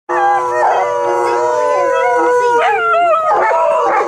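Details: Several male dogs howling together at a dog park, described as serenading the crowd for a birthday; long sustained harmonic howls with gently falling pitch, voices overlapping, wavering and rising near the end.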